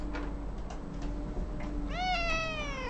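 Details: A pet cat meowing while its owner sings happy birthday; a single drawn-out, falling meow rises out near the end after quieter sung phrases, with steady low room hum.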